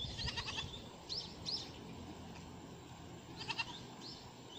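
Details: Goat on Lanyu island in autumn, recorded 4 October 2018: two short, trembling bleats made of quick pulses, one at the start and one near the end, with sharp bird chirps between them and a quiet, calm outdoor background.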